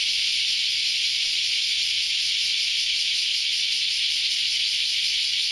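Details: Cicadas in a dense chorus early on a Saturday morning, a steady unbroken high-pitched hiss filling the air without pause, many insects blending into one continuous wall of sound.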